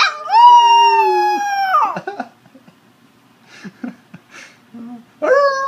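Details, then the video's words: Nine-week-old male red sesame Shiba Inu puppy 'singing' on request, recorded on a mobile phone: a sustained, clear, slightly falling howl of nearly two seconds, then soft whimpers and a rising howl starting at the end. "Cute Shiba Inu puppy singing"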